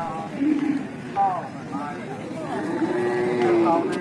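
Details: Cattle of many ages and breeds being traded at the Taungdwingyi cattle market in Myanmar; a drawn-out low moo rises and falls among overlapping human voices and a steady vehicle hum.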